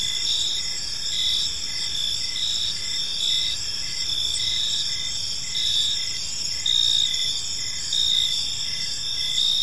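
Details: Evening cricket chorus in a quiet park: continuous high, ringing trills layered over one another, and a softer lower chirp repeating at a quick, even pace throughout.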